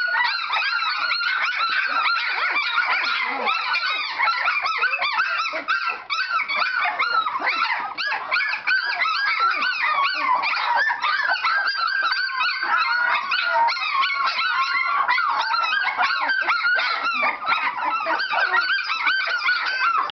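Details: Several Standard Poodle puppies in a whelping box crying together during a burst of activity, a relentless tangle of squeaky arched whines and yips, all at high pitch and sustained throughout.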